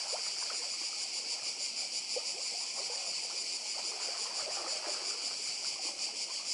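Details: Cicadas calling on Badija island, Croatia, by the sea: a dense, continuous buzzing chorus held at a high pitch with a fast pulsing texture, over soft lapping sea and water sounds.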